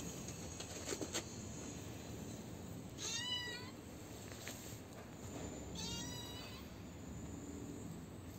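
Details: Little kitten, hidden when its brothers were taken away and now fed by a caretaker, makes two thin rising-falling meows about three seconds apart over a steady background hiss, with faint knocks early on.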